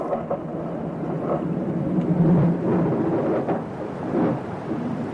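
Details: Male harbor seals (Phoca vitulina) tracking females in the mating season, recorded by hydrophone near a bridge, give deep, rumbling underwater growls like distant lorries that grew louder as the recordist drifted away from the bridge.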